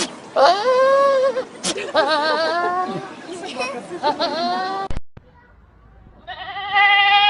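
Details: Goats bleating over one another in wavering, quavering cries. After a sudden cut, a man speaks briefly, and then a sustained, high nasal bleat returns.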